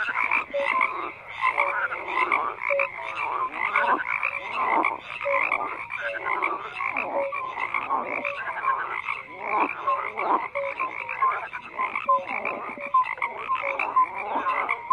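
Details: Frogs croak in a steady, crowded chorus: pulsing rattles rise and fall in waves, with short piping notes scattered throughout and a run of clear, high chirps near the end.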